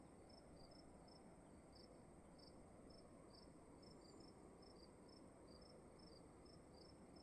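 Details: Crickets calling in a quiet room: short high chirps, often paired, repeating roughly every half second over a steady low hum and faint hiss.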